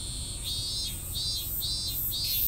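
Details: Cicada giving an incomplete, half-finished song; a buzzy pulsing drone rising and falling in about four evenly spaced swells, over a constant high insect hiss.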